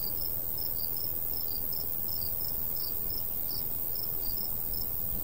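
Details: Summertime crickets beside a golden wheat field in the countryside: quick high chirps repeated several times a second in uneven pairs, set against a constant low wind rush from a light breeze.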